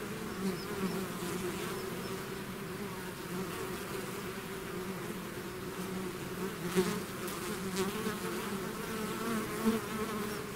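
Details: A bee swarm out of its hive, natural buzzing: a dense, steady drone with low hum bands, individual bees swelling louder as they pass close near the seventh and tenth seconds.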